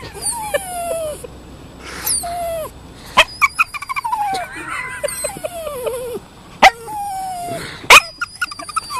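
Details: Max the Toy Poodle squeals through his dolphin impression, a string of falling, whistle-like whines repeated about every second or two, punctuated by sharp clicks and brief yips, with a warbling squeal midway.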